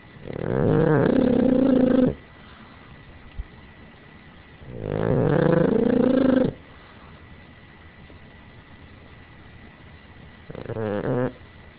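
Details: Sleeping, dreaming Boston Terrier: loud rasping snores about every four to five seconds, each a sustained vibrating rumble lasting around one and a half seconds, with quiet breathing between and a softer third snore.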